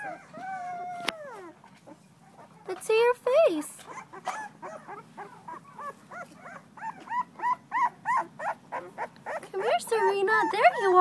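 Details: Female blue-nosed American Pit Bull Terrier puppy, two weeks old, recorded 21 December 2011, giving quick series of short, high whining yelps that rise and fall, growing louder and denser toward the end, after a person's voice at the start.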